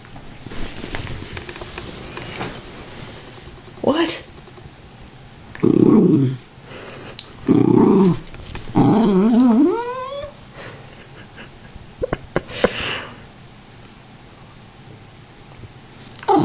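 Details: Zelda, a Tibetan Terrier denied more popcorn, throws a fit at home. Several loud grumbling outbursts are followed by a wavering, yodelling whine that rises and falls, while a woman talks between them.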